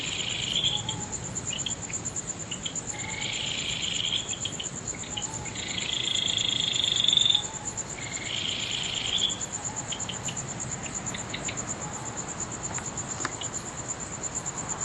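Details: Night insects under a full moon at Nagahama, Naze, Amami Ōshima, Japan, in mid-August 2011: bursts of shrill trilling lasting one to two seconds come and go, with a steady, very high, rapid pulsing continuing underneath.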